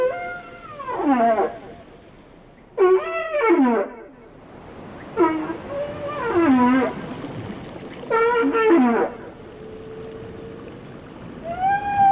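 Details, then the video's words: Whale song of repeated harmonic units roughly every two to three seconds: rising then falling sweeps and wavering moans, one long steady tone near the end, over a low underwater hiss. "Song of the Whales"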